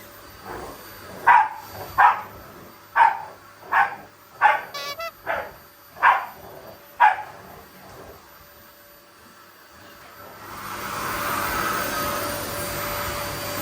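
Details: Domestic Shiba Inu with a Labrador, attacking a vacuum cleaner out of affection rather than anger; eight sharp barks roughly once a second, then a steady vacuum-cleaner roar rising from the tenth second, with music and brief speech.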